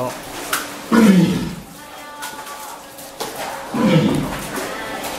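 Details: Captive walrus at an aquarium in Ise, begging staff for its water hose before feeding time. Two heavy, low, growling bursts roughly three seconds apart, echoing indoors, with water splashing and faint voices between them.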